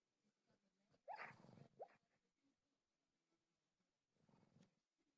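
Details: Dog barking while asleep, a pet at home: two quick, muffled woofs close together, then a fainter, breathy huff a few seconds later, against low room hush.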